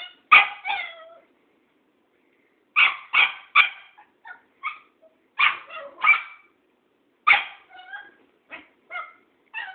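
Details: Tara, a Cairn Terrier, confronts Thoman, an old tomcat, with sharp high barks in quick bursts of two or three, broken by short silent pauses, about a dozen barks in all.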